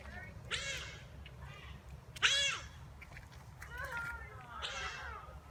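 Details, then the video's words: Giant otters playing and greeting visitors give a series of harsh, harmonic squealing calls, each about half a second long and rising then falling, spaced roughly a second apart, with faint human voices in the background. "Otters playing making otter sounds"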